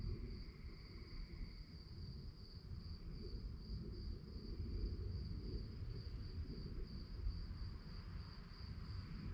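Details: At night, crickets hold a constant high, buzzing pulsed chirp, joined briefly early on by a second fainter, lower trill, all over a low rumbling background.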